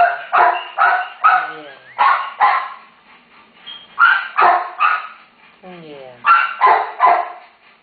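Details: Terrier mother beside one-day-old babies that need rescue; rapid harsh barks in groups of three or four, about 150 a minute, with a falling whine in a gap and gentle human talk.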